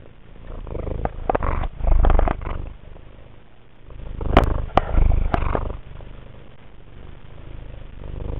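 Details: Affectionate indoor cat purring while rubbing its nose and chin against a camera lens, a low rumbling purr broken by wet snorts and sharp sniffing clicks around the middle.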